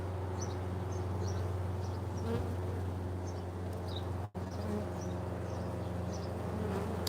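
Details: Western honey bees heard close to their hive, with bees returning carrying pollen, give a steady, low, droning hum that barely changes.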